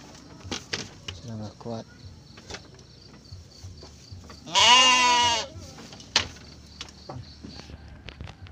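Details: Garut sheep pen on a Ramadan morning during a ewe's triplet birth: low human talk and knocks first, then one loud, shaky, drawn-out bleat lasting about a second.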